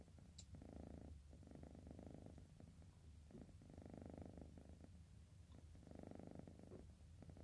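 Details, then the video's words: Sleepy orange cat Bocil snores in rhythmic, raspy pulses of breath, each burst about a second long with short quiet gaps between, over a constant low background rumble. "Ngorok !! Si Bocil, Kucing Oren Ngantuk."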